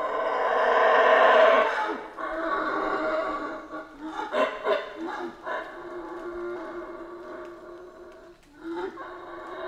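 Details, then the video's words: Howler monkeys howling in the Central American rainforest: loud, rough roaring bursts that swell and fade, overlapping voices with a tonal hum beneath, then shorter pulsed grunts. "Rainforest Howler Monkeys Sounds"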